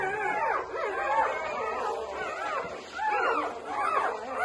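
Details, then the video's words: Overlapping thin squeals and whimpers from newborn Labrador Retriever puppies, short arched cries repeating about once or twice a second over a steady background hiss. "Newborn Labrador puppies"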